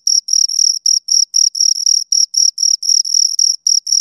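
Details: Two crickets chirping, a clean high-pitched tone with an overtone above, broken into short bursts of uneven length about four times a second, with brief gaps between; no other sounds.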